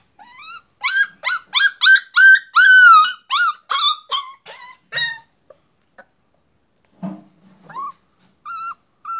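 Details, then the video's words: Young puppy tied with a rope at a rural home, barking in a rapid run of about a dozen high, harmonic yelps, some bent downward, then a pause and a few scattered softer yips. "Dog Puppy-Cute Barking"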